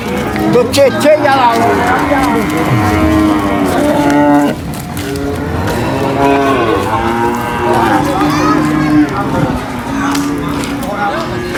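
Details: Cow being unloaded from a truck at a market, mooing repeatedly in long, wavering, deep moos with a strained, almost screaming edge. The calls come in several bursts with short gaps, over faint background chatter.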